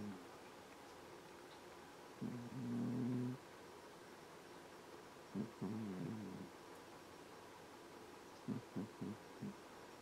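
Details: Sleeping cat snoring indoors: low, rough, harmonic rasps in three bouts, one held for about a second and later ones shorter and choppy, over a quiet background hiss.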